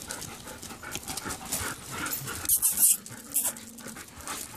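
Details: Rescue dog, formerly used by a backyard breeder, known to snore; fast breathy panting at about two and a half breaths per second, with a few louder sharp sounds midway.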